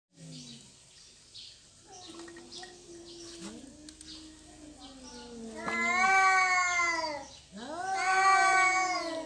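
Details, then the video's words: Domestic cats fighting over territory, with a peaceful ending: long wavering yowls, low and drawn out at first, then two loud rising-and-falling howls near the end, overlapping voices. "Kucing Berantem Rebutan Wilayah"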